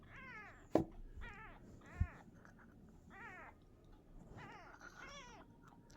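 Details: Small kitten, shown learning to walk, calls in a steady string of six thin, bent meows spaced about a second apart, fairly quiet, with a couple of sharp clicks and faint low rumble behind.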